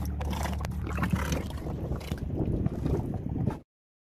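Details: Dromedary camels in the Kuwait desert drink from water tanks, making low, wet sloshing gulps and gurgles over the constant low drone of a generator, with some wind rumble.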